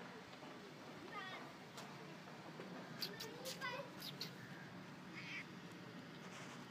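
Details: Feral kitten frightened by another cat named Simba, giving short harmonic meows, one near the start and a cluster around the middle, with a person speaking softly and steady background hiss.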